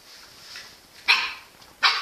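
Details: Two abrupt, high, sharp barks about three-quarters of a second apart from Engy, a Jack Russell Terrier, preceded by faint background hiss.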